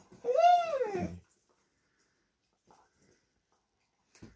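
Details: During playtime, as a Vizsla and a Doberman vie for a new toy, one dog gives a single loud, arching whine that rises then falls over about a second, followed by near silence and a faint scuffle.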